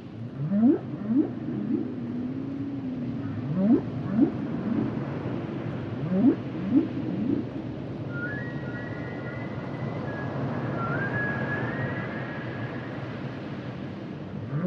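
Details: Humpback whales singing: a run of short rising whoops and a wavering moan in the first half, then long high whistled notes sliding upward, set against deep continuous sea rumble.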